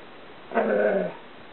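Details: Chewy, a female Karelian Bear Dog/Alaskan Malamute cross aged 2 1/2, at play in the bedroom: a single brief, rough, level grumble lasting about half a second.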